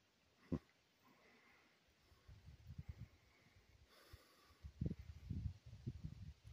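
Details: A large bull that wandered into a campsite one morning snorts while meeting a bulldog named Nipsey. One sharp puff comes early, then a cluster of rough, breathy low exhalations after four seconds.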